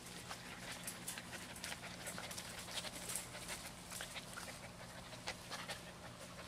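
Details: Twelve-week-old mixed-breed rescue puppies from Lonely Hearts Animal Rescue, said to be a Beagle, Terrier, Cattle dog and GSP mix, breathing in soft, quick, breathy huffs close by, with a faint steady low hum behind.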